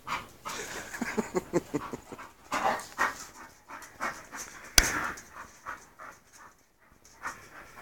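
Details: An English Bull Terrier female, Mush, close to her second season, pants in quick, breathy bursts while meeting a male, Spike, with a sharp knock partway through.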